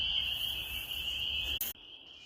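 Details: Spring chorus of peepers in the Maine countryside: an unbroken, high, piercing peeping that fills the air, cut by a brief rustling burst before the peeping resumes more softly.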